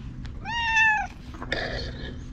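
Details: A ginger tabby stray, filmed on a GoPro, meows at a person it is rubbing against: one strong, drawn-out, gently falling meow, then a brief rougher call, over a quiet low background.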